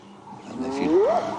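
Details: Spotted hyena calling at dawn in the wild, one of two hyenas answering from different sides: a single rising whooped note sweeping upward, with soft bird calls and faint background hum.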